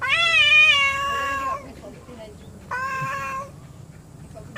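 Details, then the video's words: Two quarrelling pet cats: a loud, drawn-out, strained wail followed after a pause by a shorter harsh meow, with soft room noise in the gaps. "My Angry Cats"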